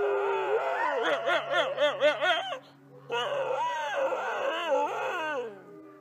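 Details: Female red wolf F1397 (Canis rufus) howls at the Wolf Conservation Center in South Salem, New York, in wavering, quavering tones that rise and fall rapidly in pitch.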